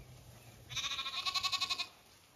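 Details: Zwartbles sheep flock on a regenerative farm in County Kilkenny, Ireland, feasting on fresh grass and apple trees in a garden paddock; one quavering bleat pulses rapidly for about a second, bright and nasal, with quiet background hum.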